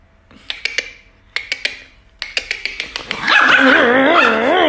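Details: Pet Chihuahua imitating a tornado: sharp yips in short groups, then a long wavering, siren-like howl rising and falling.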